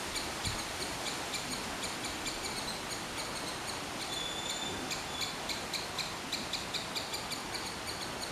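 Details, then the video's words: Squirrel calling with a steady series of short, sharp chips repeated several times a second, each a thin, bright, harmonic-rich note, over a continuous hiss of background noise. "Squirrel's sound of call."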